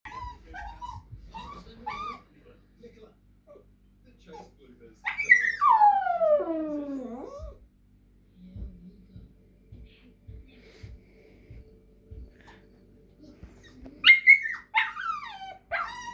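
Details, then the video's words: Māhia, a little dog, making silly noises indoors: short high whines early on, then a long loud descending whine-howl sliding downward, a series of low soft pulses, and a final burst of high wavering whines. "Māhia (little dog) making silly noises be like:"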